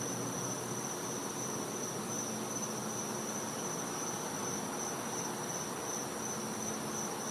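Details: A dense nighttime cicada chorus in a Florida back yard in winter: continuous buzzing with a thin, unbroken high whine running throughout.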